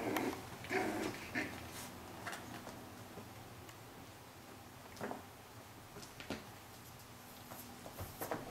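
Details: Cilène, a four-week-old female Pyrenean Shepherd puppy with her strong brothers, indoors, gives a few short whining squeaks early on, then quiet room noise with scattered clicks and knocks.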